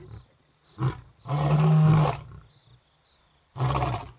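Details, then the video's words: A roaring sequence from two male lions in Africa directed at females: a short grunt, then a long deep moan about a second long, followed after a pause by another low roar. "Lions roaring"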